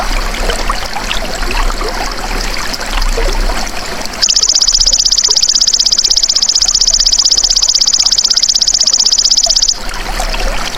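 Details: Belalang emas, the golden grasshopper, recorded for training songbirds: after four seconds of trickling, rustling background, a sharp, high, fast-pulsed buzzing trill runs steadily for about five seconds and then stops abruptly.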